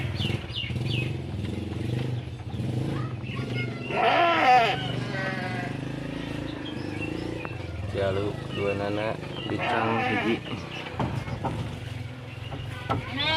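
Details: Garut sheep being herded and let out to graze, giving two bursts of wavering, nasal bleats with a stacked, quavering tone, around people talking and low background rumble.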